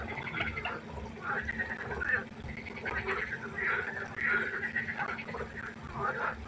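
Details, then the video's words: Frogs calling at night beside a pond: drawn-out, buzzy, quacking croaks rising and falling in overlapping waves, with a faint steady hum underneath. "1 Stunde Froschkonzert. Frosch Geräusche quaken. Frösche Geräusche Konzert"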